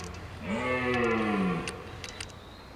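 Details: During the rut, a wild red deer stag guarding hinds in woodland gives a single low roar that rises briefly, then slides slowly downward for about a second, with light ticking sounds around it.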